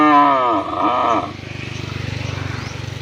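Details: Cow mooing to call a partner to mate: a loud, harmonic moo lasting about a second that bends downward near its end, followed by steady pulsing engine noise from a nearby motor.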